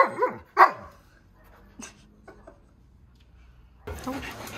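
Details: Siberian Husky Keyush at a friend's house gives two sharp, falling, harmonic barks close together, followed by quiet faint sounds and then a burst of broadband rustling noise.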